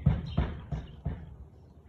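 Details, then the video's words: Siberian Husky recorded on 13 March 2021 at 4:17 pm, giving four short, low barks spaced about a third of a second apart, the last ones fading. "Husky barking"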